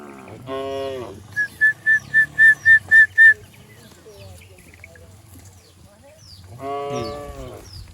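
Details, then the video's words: A herd of cattle runs down a green hill in a rural village. A short moo opens the recording and another closes it. Between them come eight sharp, evenly spaced whistled notes, then quiet rustling. "suara asli sapi"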